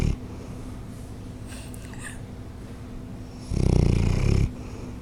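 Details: Sleeping 7-year-old Bloodhound Whitney, cared for by Ontario Bloodhound Rescue, gives one loud, deep, raspy snore lasting about a second late on, after a stretch of soft low breathing and faint faint rustles.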